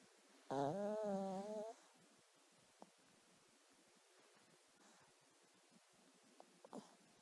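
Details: A sleeping dog named Duke, dreaming, gives one drawn-out wavering whine lasting about a second. Near silence and a few faint ticks and soft breathy sounds follow.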